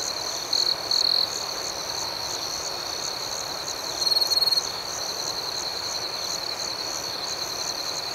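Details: Night chorus of crickets with a steady high trill and rapid rhythmic pulses, plus brief louder chirp bursts near one second and around four seconds.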